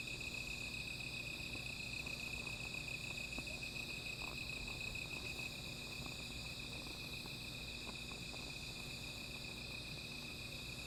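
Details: Insect chorus on a night by a small fire: a bright steady trill holds for about five seconds, then drops out, leaving a higher pulsing buzz going on, with light clicks and a low murmur underneath.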